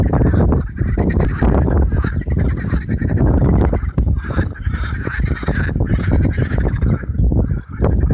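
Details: Hundreds of marsh frogs on Allhallows marshes, North Kent, call in a loud chorus of harsh rattling and cackling calls overlapping without pause, on a warm May evening.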